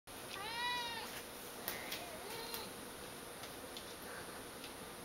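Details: Domestic cat meowing in reaction to wet cat food, a behaviour repeated every morning; one clear rising-then-falling harmonic meow near the start, followed by faint clicks, soft knocks and a low murmur in a quiet room.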